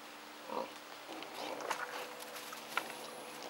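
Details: A wild boar (Sus scrofa) with piglets gives a few brief, soft grunts and squeaky squeals against a quiet background.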